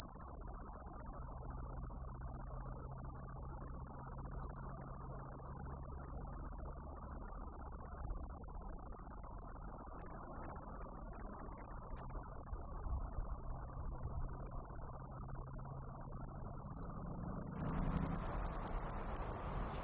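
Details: Iwasaki's grass cicada, called "Jiijii-gaara" or "Jiijii-gaasu" in the Miyako dialect, sustains a thin, shrill continuous drone; near the end a rapid series of sharp ticks breaks in.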